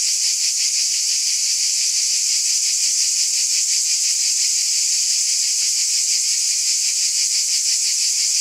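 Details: Nighttime summer cicada chorus: intense, hissing high whine layered from countless insects, gently throbbing with a quick regular pulse, steady throughout.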